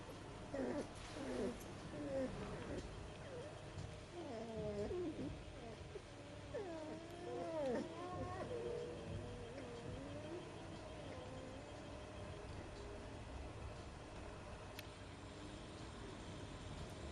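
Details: Three-week-old Rhodesian Ridgeback puppies giving a stream of squeaky whines and whimpers, wavering and overlapping, several short calls rising and falling, with a steady low hum beneath.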